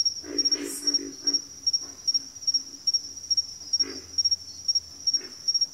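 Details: Frog chorus in backwater: low, throaty grunting calls in short clusters, several in the first second and more near the end, under a steady, rapidly pulsing high insect trill that runs throughout.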